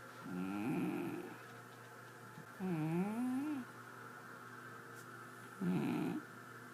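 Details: Sleeping domestic cat snoring: three rough, gravelly breaths about every two to three seconds, one with a wavering, rising-and-falling pitch, over a steady low electrical hum.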